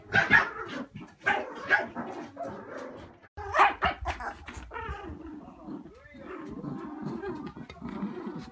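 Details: Terriers in a house squabble over a toy during tug of war, giving sharp, short barks in quick bursts, followed by lower rumbling growls and scuffling. A human voice may be mixed in.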